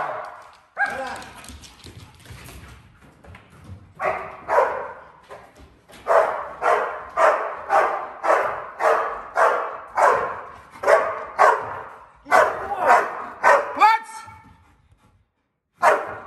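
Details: Malinois being trained to bark as a clear warning instead of biting first, a hold-and-bark skill for intruder containment: after a whine and pause, a rapid run of about a dozen regular barks, then a whimper.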